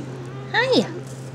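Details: A RagaMuffin kitten from a litter at seven and a half weeks, kept indoors, gives one short meow that rises and then slides down, over a steady low electrical hum.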